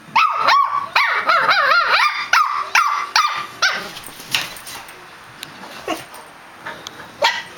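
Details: Two pet dogs barking back and forth, a quick run of about eight sharp, pitch-bending barks at the start, then fading to softer, scattered yips and one final bark.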